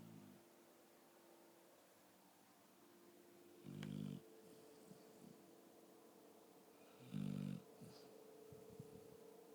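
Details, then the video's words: Sleeping pet dog snoring, two loud low rumbling snores about three seconds apart with softer breathing between, steady background hum indoors. "My dog snoring"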